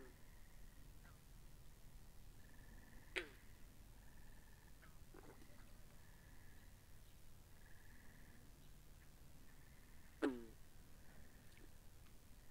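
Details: Binaural sound of frogs beside a pond: two abrupt, clacking croaks about seven seconds apart stand out against a layered chorus of high trilling and softer clicks.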